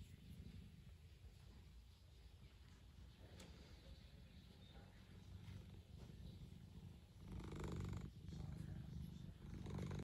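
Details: Low, even purring from a house cat, a throaty rumble that grows slightly louder and rougher toward the end, with light rustling.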